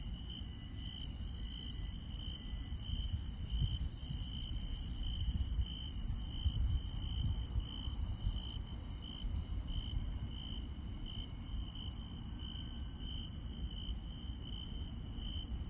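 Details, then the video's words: Night insects in rural countryside keep up a continuous high-pitched trill with a slight pulsing shimmer, while higher chirping layers come and go, briefly falling silent around ten and fourteen seconds; a steady low rumble underlies everything. "시골 밤의 정겨운 풀벌레 소리"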